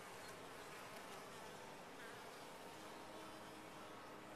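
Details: Honey bees inside a top-bar hive, a steady, dense droning hum with no pauses, many wingbeats blending into one even buzz throughout.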